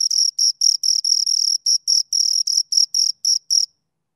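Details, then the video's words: Two crickets chirping close up: high, pure chirps with an overtone, repeated in rapid bursts about every quarter second, briefly uneven, then stopping near the end; no other sounds. "Two Crickets Chirp Sounds"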